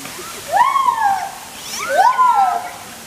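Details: A white-handed gibbon with white hands, jumping about, gives two loud, rising-then-falling whooping notes about a second and a half apart; recorded 02/11/2021.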